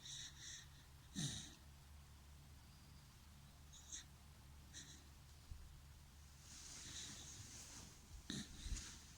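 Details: Snoring dachshund, with short whistling nasal snorts scattered through the stretch, a longer airy wheeze around the middle-late part and a final sharp snort, over a constant low hum.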